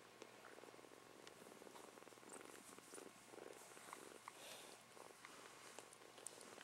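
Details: Kitten purring quietly: a soft, continuous rumble of fine, evenly spaced pulses with no break, plus faint rustles and small clicks nearby.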